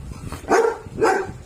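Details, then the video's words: Belgian Malinois puppy aged six months and 19 days, from Taguig, 'talking' during training: two short, rough, mid-pitched yelping vocalizations about half a second apart, between a person's Filipino commands to sit and stay. "Talking Belgian Malinois #6 months and 19 days old puppy"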